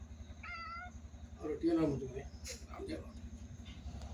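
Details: A pet cat gives one short, clear, high meow, with a person talking and calling to it indoors and a steady low hum underneath.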